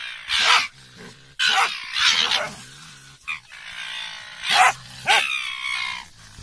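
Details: German Hunting Terrier fighting a raccoon dog, which at times plays dead; harsh, broadband barks in loud bursts about once a second, separated by quieter, rough growling noise.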